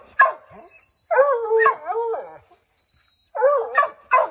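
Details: Redbone Coonhounds trying to drive a chipmunk from an oak tree; a sharp bark, then a wavering howl, a short silence, another howl ending in abrupt barks.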